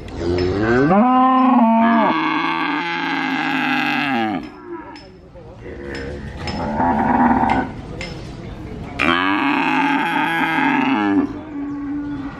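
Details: A calf (pedet) at the Purwokerto cattle market gives long, drawn-out, fairly high-pitched nasal moos, calling almost continuously while most other cattle stay quiet, amid background market bustle.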